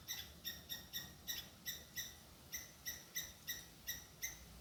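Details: A squirrel shouts at a cat chasing it, filmed with a hidden camera; crisp, evenly spaced chips about three per second, with a short pause midway, over a quiet low background hum.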